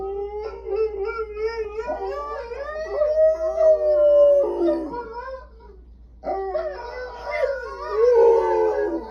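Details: A dog's howl: sustained, quavering tones rise into a long arching wail, then stop in a short silence before the dog resumes with layered, wobbling howls over a steady low hum.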